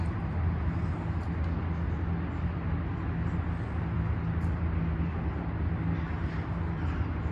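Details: Street recording dominated by a constant low rumble of vehicles, with no animal call audible.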